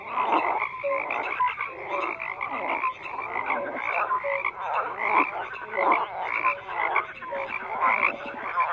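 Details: Many frogs croaking together in a dense chorus, overlapping rasping croaks between roughly 500 and 3000 on the scale, with short tonal notes scattered through, steady and unbroken throughout.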